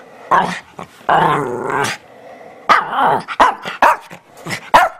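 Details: Teddy Bear dog, a Shih Tzu Bichon Frise mix, "talks": a brief grunt, then a drawn-out warbling groan, followed by a quick series of five short yappy barks and grumbles.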